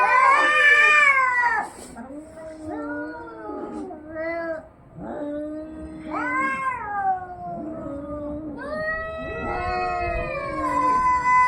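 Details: Two cats fighting, a loud high yowl opening, then lower wavering moans and rising wails overlapping in a tense, continuous exchange.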